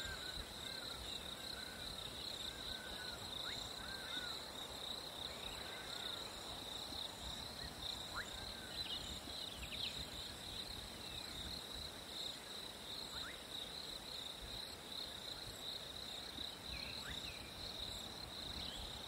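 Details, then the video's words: Crickets singing on a hot summer day: a steady, continuous high-pitched trill holds through the whole stretch, with a fainter second band above it, a few brief chirps and light background noise. "Crickets in a hot summer day"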